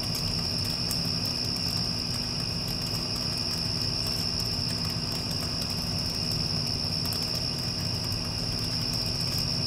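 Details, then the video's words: Post-storm night ambience of crickets, a sustained even high-pitched trill without pauses, set against the deep mechanical hum of an air conditioner. "Cricket Sounds with Air Conditioner (After Passing Storm)"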